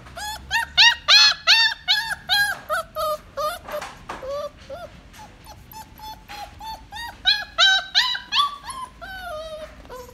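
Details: Dog kept in a pet shop whines and yips insistently, bursts of sharp rising-falling cries coming in quick clusters, some louder and shriller, with brief quieter gaps between runs.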